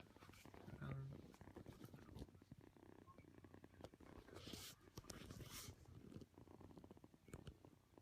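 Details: Kitten purring while kneading and seeking affection indoors, a soft low continuous rumble with rhythmic pulses, overlaid by quiet speech and occasional rustling.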